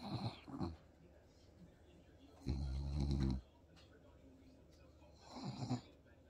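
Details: French Bulldog Bob talks to his owner while they watch TV in a home office, giving a loud, deep, rumbling snort of about a second between softer short grunts at the start and end.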